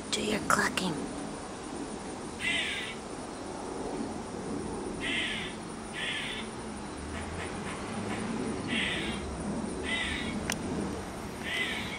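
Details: Squirrel calling in a backyard, clucking like a chicken; harsh raspy bursts repeat every second or two over steady background noise, with people talking nearby.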